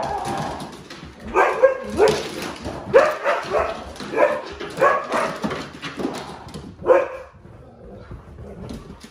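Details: Pet huskies, including the nearly grown puppy Lola, react indoors to a scary movie costume prank with a run of short, harmonic barking yelps and whines, bursts coming roughly every second before trailing off.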